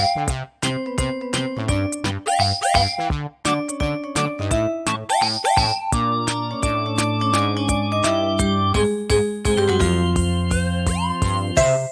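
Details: Bouncy synthesizer music with plucked, jingling notes and sliding tones plays throughout, with no animal sound heard.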